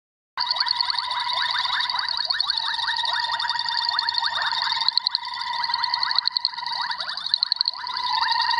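Boettger's caco males give rapid, high-pitched ticking pulses in a steady stream to attract females.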